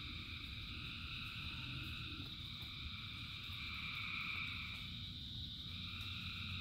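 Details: Thousands of frogs singing in the rain form an unbroken wall of layered trilling, high and bright, swelling slightly near the middle, while rainfall keeps up a steady low hiss and patter underneath.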